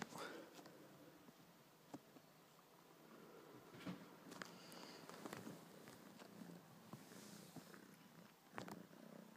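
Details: Pet ginger kitten purring during play with a favourite soft toy, a continuous low rumble under human voices talking nearby, with a few sharp knocks and rustles.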